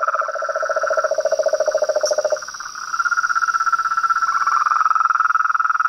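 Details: Chaotic evening symphony of toads, frogs and treefrogs at a house pond: a low rapid rattle and a higher pulsed trill overlap, the low one stops after two seconds, and a high steady drone continues.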